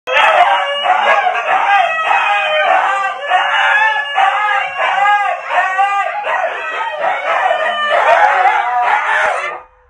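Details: Very loud huskies vocalising together: a continuous chorus of wavering, yodel-like howls and whining cries that bend up and down in pitch, overlapping without pause for nearly ten seconds before cutting off.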